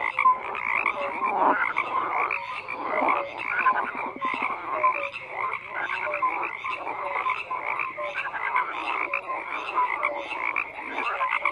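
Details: A continuous frog chorus: overlapping coarse croaks and pulsed rattles from many animals, steady throughout, with occasional thin tonal peeps.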